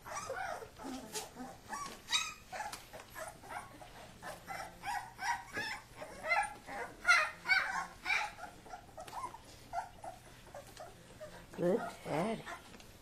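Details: Wrestling Kuvasz puppies under their father's watch give short yips, whimpers and small barks, about two to three a second and irregular, with one louder squeal near the end.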